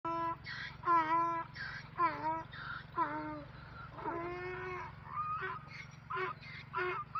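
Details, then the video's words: Donkeys meeting one another give a braying run of harsh, harmonic honks, each note about half a second long, rising and falling in a see-saw rhythm roughly every second, over a steady low electrical hum. "Donkeys and donkeys meeting with funny sounds"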